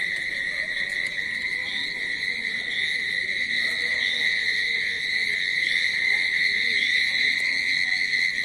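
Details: Countless crickets, perhaps around 100, in grass near water at about 10:20 pm give a dense, continuous, high-pitched ringing trill at one shrill pitch with a faint higher overtone, pulsing quickly and evenly.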